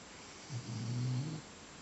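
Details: Low, throaty snore from an English Pointer resting after breakfast, a single rasping rumble of nearly one second that swells and fades in a quiet room.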